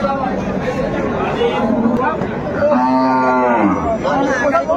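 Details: Cows with calves at Ambari market in Dinajpur, Bangladesh, on February 28, 2025; a loud, drawn-out harmonic moo swells in the middle, with more lowing around it and crowd chatter and bargaining voices behind.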